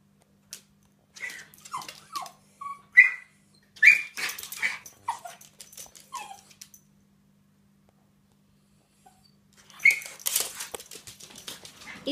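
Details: Lottie, a West Highland White Terrier, jealous as the next-door neighbours' cat enters the garden: high whining yelps and whimpers in short bursts, with scuffling and a longer burst of noisy whines near the end.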